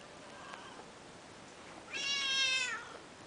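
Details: Peterbald kitten, two and a half months old, at play indoors: a faint short mew, then a louder, drawn-out, strongly harmonic meow of nearly a second that gently falls in pitch, over low room hiss.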